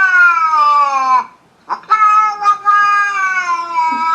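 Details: Long, loud, wailing cat meows, two sustained harmonic cries with a slight downward slide, separated by a brief gap with faint clicks and rustling.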